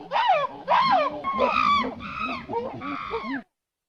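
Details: A monkey giving a strange, unusual call: five loud, harmonic, wavering cries in a row, each arching and falling in pitch, with lower muffled voices underneath, ending abruptly in silence.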